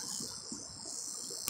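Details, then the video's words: Cicada calling from up in a pear tree, giving its mating call: an unbroken, high, hissing buzz that holds steady throughout, with a faint low rumble beneath. "Cicada Mating Calls"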